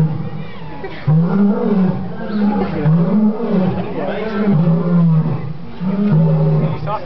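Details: A lion at a zoo gives a series of deep, rhythmic grunting roars, about one every second and a half, almost bark-like.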